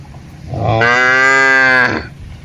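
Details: Cattle out grazing in a large plantation under a herder's watch; a single rich, steady moo lasting about a second, swelling in and fading out, with faint rustling around it.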